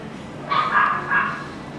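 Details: Pomeranian kept at a pet shop in Nagahama, giving two short, high-pitched yipping barks about half a second apart over faint room hum.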